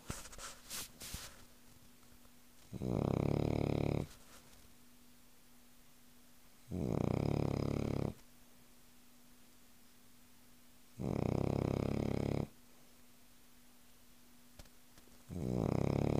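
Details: Cavalier King Charles Spaniel snoring while sleeping indoors: loud, rasping, low snores about a second and a half long, returning roughly every four seconds, with near silence in between.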